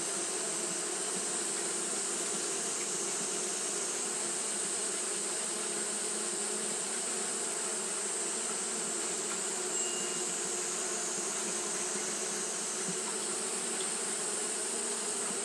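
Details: Japanese honey bees fanning nonstop on a hot day; a long, constant humming drone with faint flickers of single bees passing and a steady bright hiss on top.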